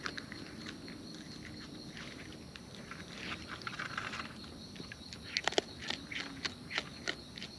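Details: Raccoons in the wild feeding up close, with soft crunching at first, then a quick run of crisp, clicky bites and smacks toward the end over faint natural background noise.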